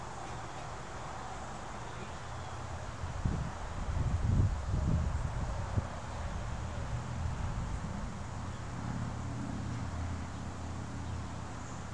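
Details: Steady low rumble of traffic and machinery hum, with a brief louder swell of rumbling midway and no animal audible.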